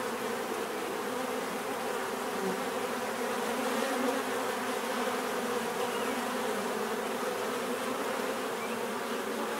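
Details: Natural buzzing of bees, a continuous layered drone holding an even level from start to finish, with no other clear sounds.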